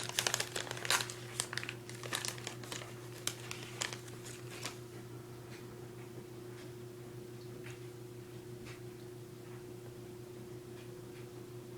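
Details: Crumpling and crinkling noises in a small indoor room, busiest during the first five seconds and then sparse, over a steady low electrical hum.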